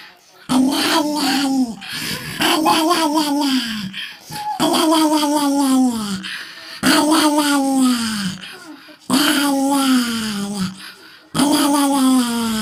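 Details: Pet dog giving a series of six 'rawr' calls, each a sustained, harmonic, groan-like sound that bends downward at its close, repeated at steady intervals of about two seconds in a quiet room.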